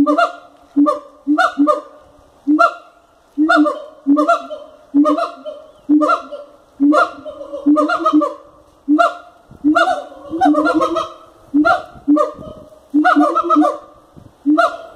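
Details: Siamangs calling at Cotswold Wildlife Park, captive: loud honking hoots with strong harmonics, delivered in rapid bursts roughly once a second, some notes rising into barking, overlapping phrases throughout.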